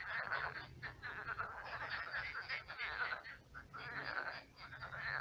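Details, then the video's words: Frog chorus at night from a dried-up pond that has become a marsh; continuous overlapping rattling croaks from many frogs, rising and falling in waves, with a steady low hum underneath. "Кваканье лягушек. Лягушки квакают."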